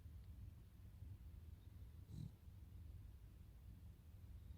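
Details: A Cavalier King Charles Spaniel snoring: a low, continuous rumbling drone of rough breaths, with one slightly louder snort about midway.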